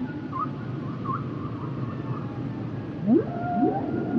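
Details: Humpback whale song: wavering mid-pitched tonal notes, then bright rising upsweeps near the end over a low, hissing ocean background.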